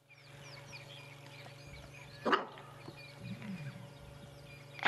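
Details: A female antelope at sunrise on safari, November 2016, gives sharp, explosive alarm barks a few seconds apart after a standoff with a predator she sensed, over a low engine hum.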